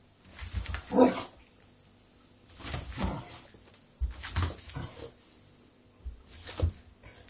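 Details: Beagle named Dave reacting with fright to a lemon hand inside a room, giving a sharp bark with a tonal core, followed by several rougher, lower bursts spaced about a second or two apart.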